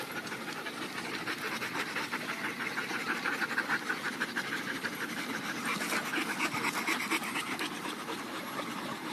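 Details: Several dogs panting after a good workout at an off-leash dog park at the end of the day; rapid, breathy, steady huffing repeated about twice a second throughout, with a noisy hiss filling the background.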